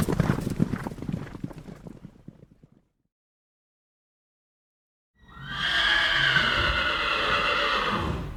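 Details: Horse hooves clopping on hard ground, fading out after a few seconds; after a pause a long, strong whinny follows, shaking and trembling for about three seconds before it dies away.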